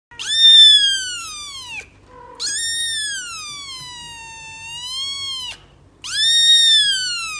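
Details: Three drawn-out kitten meows from a playful fluffy kitten: a loud, high wail, then a long three-second cry sinking slowly in pitch, then a bright, rising final call.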